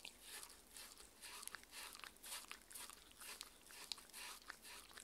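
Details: A six-year-old Shetland Sheepdog named Mindy at her dinner of chicken and pumpkin soup with chicken and raw beef, in a small room; wet, bright chewing and lapping strokes repeated about twice a second, steady and close.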